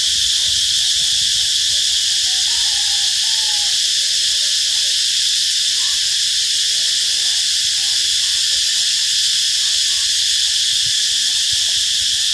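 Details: Midday cicada chorus along the road toward Bình Hòa B School on 2 March 2023: steady, piercing high hiss without pauses, faint scattered chirps and a short whistle in the background.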